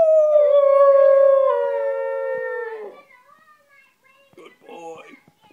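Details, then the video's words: A West Highland White Terrier howls: one long, steady tonal note held for about three seconds that sags slightly lower before breaking off, followed by a few faint, scattered sounds. "Howling Westie"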